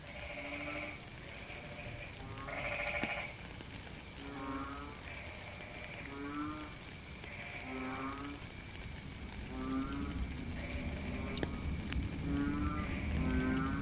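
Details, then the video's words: Frogs in rainy weather give a steady run of short, buzzy, low croaks with bright overtones, several per second at times and overlapping from more than one caller, set against constant rain patter. "Frog and Rain - 10 minutes Faint Beautiful Song"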